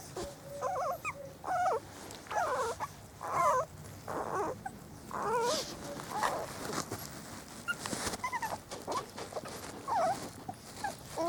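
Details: Spanish Water Dog puppies, a litter four weeks old, out in the garden for the first time; bursts of wavering whimpers and whines come in clusters with brief pauses, and faint rustling between them.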